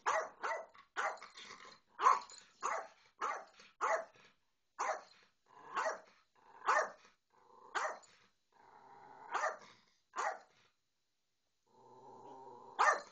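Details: Persistent high yapping from a dog while a Bedlington Terrier ignores a little Yorkie: a fast series of barks about every half second, slowing, with a drawn-out whining, growly tone near the end before one last bark.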